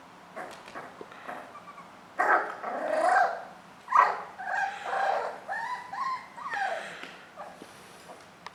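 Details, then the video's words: Jack Russell Terrier puppy indoors while playing: low rough growls mixed with whining, rising yelps in uneven bursts, a loud stretch at two to five seconds, then shorter wavering whines. "Puppy Jack Russel terrier"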